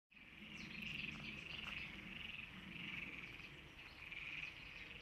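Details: European tree frog (Hyla arborea) giving a rapid, rasping series of high krak notes that runs without pause.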